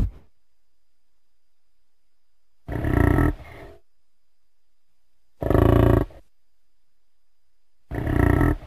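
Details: American bison, also called buffalo: three short, deep roaring grunts, each under a second, spaced about two and a half seconds apart with silence between, rough and throaty with a low rumbling base.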